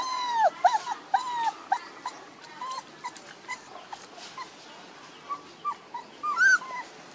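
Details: Puppies one month old give high, arched whimpers and short squeals, a burst of several at the start, then scattered single whines spaced about half a second apart, ending in a louder rising squeal.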